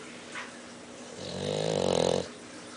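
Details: Mercedes the dog snoring loudly: a faint sniff-like sound, then one drawn-out, rattling snore that swells and vibrates for about a second before stopping abruptly.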